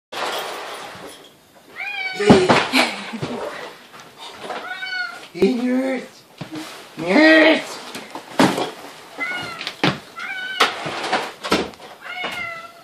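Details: Domestic cat reunited with its owners, giving repeated rising-and-falling harmonic meows, several overlapping, mixed with a person talking to it and occasional knocks and thumps indoors.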